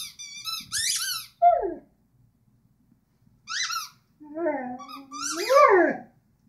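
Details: Rhodesian Ridgeback singing: a series of high, squeaky, harmonic whining bursts, some sliding downward, separated by short silences, then a longer wavering moan that rises and falls before fading.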